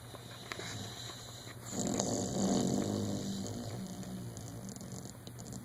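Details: Dodger, a one-year-old dog, snoring loudly while dreaming in REM sleep: a low, rough, breathy snore swells after a quiet start, holds for about two seconds, then fades slowly over a steady low electrical hum indoors.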